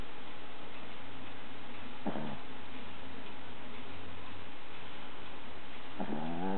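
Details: A dog snoring: a steady low rumble runs under heavy hiss, broken by two short nasal, wavering whistle-like snorts, one near the start and one near the end.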